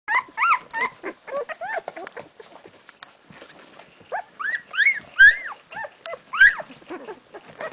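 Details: Week-old golden retriever pups in Bella's litter searching for their mother's milk: a chorus of high, arched whimpers and squeals, some rising then falling, in irregular bursts with short quieter gaps of soft snuffling.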